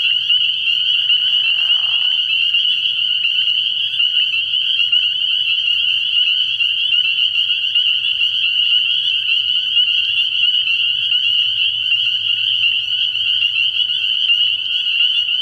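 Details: Night chorus of spring peepers at a frog pond in early spring: countless high piping peeps merge into a constant shrill ring, while a brief lower rasping note shows near the start.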